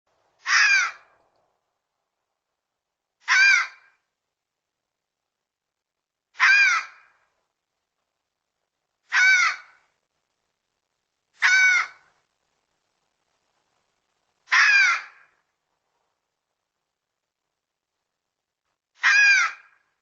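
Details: Red fox giving harsh, hoarse calls: seven short, rasping cries of about half a second each, spaced roughly every two and a half to four seconds, with silence between them.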